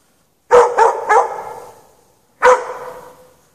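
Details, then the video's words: Chained in snow with no shelter through a March night in 2014, a dog barks in a quick burst of three, then once more after a pause, each bark loud with a ringing, echoing decay. "Dog barking chained out in the snow"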